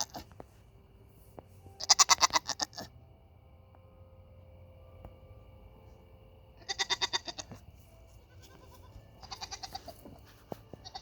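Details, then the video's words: Nigerian Dwarf goats crying because they are hungry; three separate wavering, tremulous bleats spaced several seconds apart, each broken into quick pulses, with quiet background between them. "Nigerian dwarf goats making noise"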